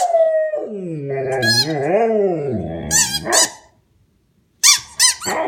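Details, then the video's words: A male Australian Shepherd gives a wavering, rising-and-falling howl, made only when he plays with his squeak toy, broken by sharp squeaks from the rubber toy. "Funny noise dog makes when playing with squeak toy"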